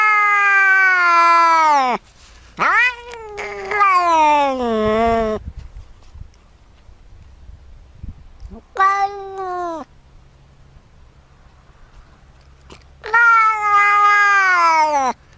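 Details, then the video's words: Domestic cat giving strange, drawn-out meows: several long harmonic cries that fall in pitch at their ends, some broken and wavering, separated by quiet gaps with faint low hum in the background. "Cats make strange sounds"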